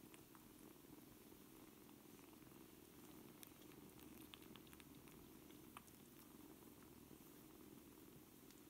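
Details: A litter of seven 4-week-old kittens at play; a quiet, even purr hums steadily through the whole stretch, broken only by occasional light taps and scuffles.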